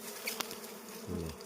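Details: Wild honey bees swarm while six combs of wild honey are harvested; a low droning hum is heard, with one bee passing close near the end in a deeper, rising-and-falling buzz, plus a sharp tap.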